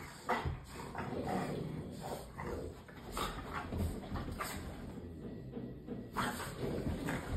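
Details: Several French bulldogs at play indoors with nobody home, making short husky growls and snorting grunts in uneven clusters throughout, with scuffling sounds and a constant low hum behind.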